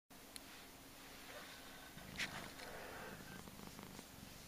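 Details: A little fat male Persian cat purring: a soft low rumble, steady and faint, with a few brief clicks and rustles above it.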